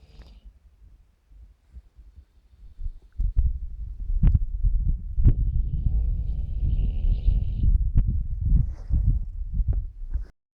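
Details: An old 2017 recording of Bos, a tired dog, sound asleep: after three near-silent seconds, a long, continuous, low, rumbling snore runs on with soft clicks and a faint, higher, whistling tone in the middle.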